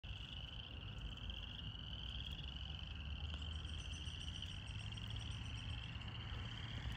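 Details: First spring frogs calling in a glade alongside crickets, a steady high trilling chorus running unbroken through the recording over a low rumbling hum, with a few faint higher chirps joining midway.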